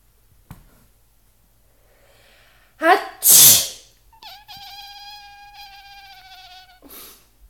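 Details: Brian, a male house cat, complains when his rest is disturbed by someone sneezing: a loud human sneeze is followed by a long, steady, drawn-out meow lasting over two seconds, then a brief final sound.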